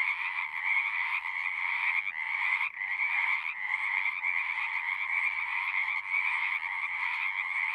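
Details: Frogs singing at the pond in a horse pasture, Zoom recording: a loud, continuous wall of overlapping trilled croaks with one momentary lull near the middle.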